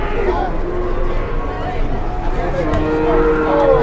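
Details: Big bulldozer cattle in Indonesia reluctant to be loaded onto a truck, front legs being lifted. Short, flat lowing tones, strongest near the end, under human chatter and background bustle.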